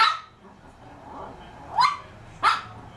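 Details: A three-year-old Shih Tzu barks at cheese, giving two quick high yaps about half a second apart after a brief first bark, with a faint indoor hum beneath.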